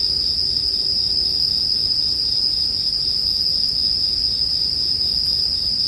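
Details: Bell crickets singing as a continuous high, ringing tone that never breaks, mixed with the soft low crackle of a campfire for sleep music.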